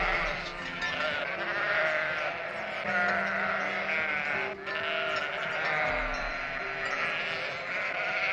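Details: Several sheep bleat together in a continuous chorus of quavering, nasal calls, overlapping one another throughout, while gentle music plays quietly in the background.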